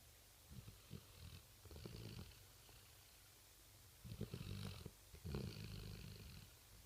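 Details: Sleeping Rottweiler dog snoring at night: deep, rumbling inhalations in irregular bursts, two long grating snores near the end separated by quiet pauses, low steady hum underneath.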